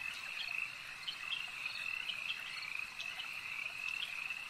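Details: Frogs at a lake keep up a steady, high chorus of rapid trilled croaks, several individual calls standing briefly above the even background hum.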